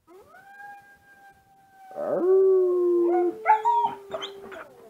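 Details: Young husky-mix dog, its parents Siberian Husky and Alaskan Malamute, howls at wolf sounds from online, smartphone recording in a dark room: a long level tone drops lower and swells louder, ending in broken wavering yips.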